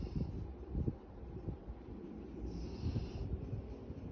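A golden retriever snoring with low, rumbling snorts and breaths that rise and fall irregularly.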